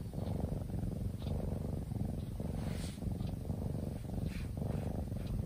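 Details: Low, rolling purr from a soundly sleeping kitten, steady breath-linked pulses throughout, with a few faint soft rustles above the rumble.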